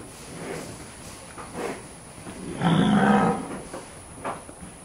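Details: Brahman cattle in a ranch herd being penned and worked during a handling demonstration; one loud, low, drawn-out moo around the middle, with fainter bellows and shuffling before and after.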